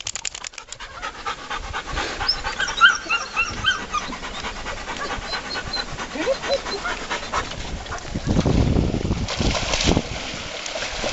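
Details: Seven-week-old puppies and big dogs ride a trailer to a lake. Rapid, rhythmic, breathy panting goes on through constant rumbling vehicle and wind noise. A louder gust of noise comes near the end.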